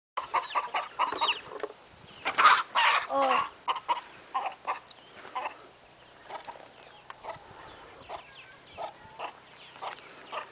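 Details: Kangal puppies, the litter of a dog named Ülkü, give a run of short, high whimpering squeaks, some rising and falling. They come in uneven bursts, with a louder cluster of overlapping cries near the middle.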